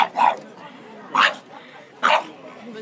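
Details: A small French Bulldog gives three sharp, husky barks about one second apart, barking at another, larger dog.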